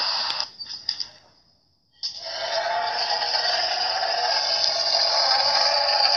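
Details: Rani, an Asian elephant of the Sumatran kind, recorded 27 February 2017, whose call is said to carry 10 kilometres: a few brief blasts, a pause, then a long, loud, brassy trumpet held steady for several seconds.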